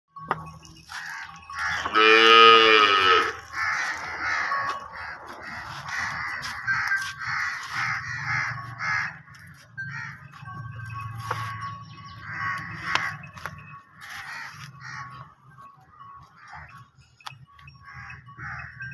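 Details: Nili-Ravi buffalo offered for sale in Punjab, Pakistan, 29 May 2021: one loud, harmonic-rich bellow lasting about half a second near the start. Then a run of shorter repeated calls from other animals over a low steady hum.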